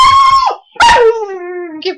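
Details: Short-term foster dog howling along with a person indoors: a brief level tone, a pause, then a longer wavering howl that slides down in pitch, ending with a short yelp.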